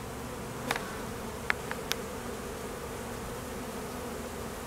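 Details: Western honey bees (Apis mellifera) at an apiary during peak summer nectar flow, at midday, with foragers and drones out on mating flights, buzzing in a steady, low, dense drone of many wings beating together.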